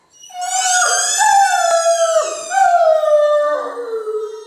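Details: Great Dane howling along to a squeaky toy, a sustained, wavering, tonal howl in several drawn-out notes that step up and down over about four seconds, with no other sounds.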